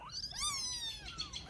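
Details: Rescued sick baby kittens in Vietnam, abandoned by their mother, cry in thin wavering meows, one long descending mew overlapping fainter ones, in a quiet room.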